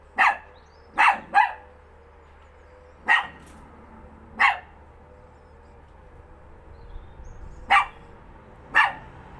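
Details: Dog barking at thin air indoors, crisp single barks and short doubles at irregular intervals, around eight barks in under ten seconds, over a faint steady hum.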